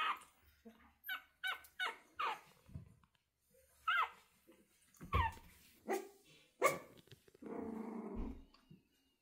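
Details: Pomeranian puppies nearly eight weeks old, newly learned to bark: a run of high, short yapping barks in quick succession, some rising and falling, followed by a longer growly, whining sound near the end.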